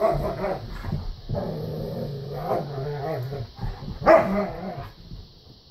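Standard poodles growling in low, rumbling bursts, broken by a sharp bark near the end.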